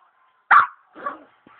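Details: A pet Pomeranian barking at the wall: one sharp, loud bark, then a softer, rougher second bark half a second later, followed by near silence.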